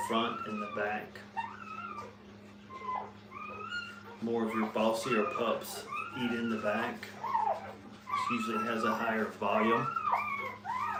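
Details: Brittany puppies with their mother indoors at a training kennel, giving high, wavering whimpers and yips that rise and fall in short bursts, with people talking over and between the calls.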